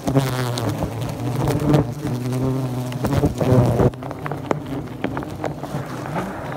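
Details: Bald-faced hornets droning loudly at their nest during removal from a house soffit in Great Neck, Long Island, New York; a thick, low hum with overtones for about four seconds, then quieter buzzing amid scattered clicks.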